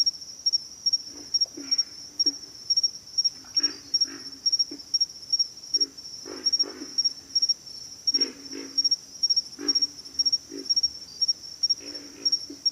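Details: A pig frog chorus: deep, coarse grunts arriving in quick doublets and triplets every second or two, with an unbroken high insect drone behind them.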